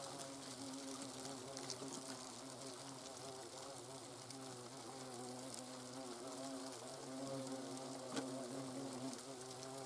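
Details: Hornets observed in the nest in the Eifel region of Germany, a continuous low humming buzz with several wavering tones sustained at an even level.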